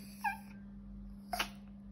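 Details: Female Yorkshire Terrier indoors, 'talking' with two short, high, whiny vocal bursts about a second apart, the second a brief rising yelp, over a steady low electrical hum.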